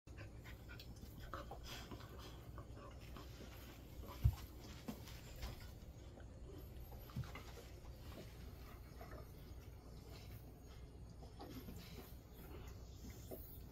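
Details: Golden Retrievers resting in a cool air-conditioned room set to 20–22 degrees, at about 400 m elevation in summer heat; soft, steady low breathing of panting runs throughout, with faint room hum and a brief knock near four seconds.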